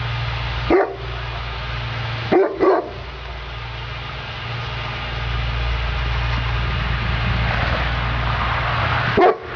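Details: A working Neapolitan Mastiff named Sofia barks once, then twice in a quick pair a couple of seconds later, and once more near the end after a long gap, all over a persistent low-pitched hum.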